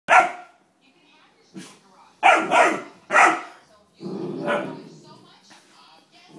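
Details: Dobermann puppy in potty training, indoors, barking at foaming carpet cleaner it dislikes: a few short, harsh barks in uneven bursts, mixed with a person speaking close by.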